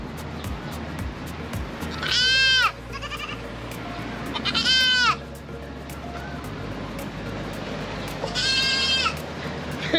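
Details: Goat bleating at a stall selling animals in Chatuchak Weekend Market, Bangkok, Thailand, where a baby goat is kept; three strong quavering bleats, the last softer and farther, over crowd murmur and a low rhythmic thumping.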